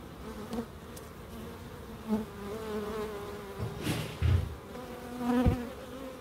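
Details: Bees in a small wildlife garden of an end terrace house in Crookes, with bird boxes and a small pond: low droning wingbeat hum, swelling in short passes near 2 and 5.5 seconds, over a quiet outdoor background with faint knocks.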